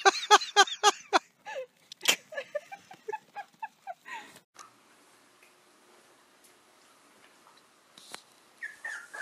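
A corgi gives a quick run of sharp barks, then higher, shorter yips that trail off.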